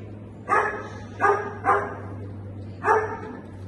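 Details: Dog at a Thursday night agility training session: four sharp, loud barks, the first three about three-quarters of a second apart, the last after a longer pause, over a steady low electrical hum.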